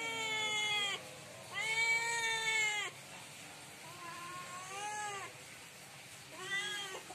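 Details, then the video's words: Cat meowing loudly at night, asking for food: four drawn-out, harmonic-rich meows, the second longest at over a second, each rising then falling, with short quiet gaps between. "Cat Meowing loud at night asking for food"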